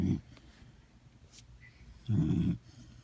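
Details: Sleeping dog snoring: two low, rumbling snores, a brief one at the start and a longer half-second one near the end, with quiet breathing between.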